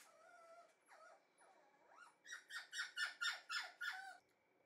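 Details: Red female Shiba Inu puppy whimpering indoors: a few drawn-out whining notes with curling pitch, then a fast series of six sharp yips about every quarter second, each sliding downward.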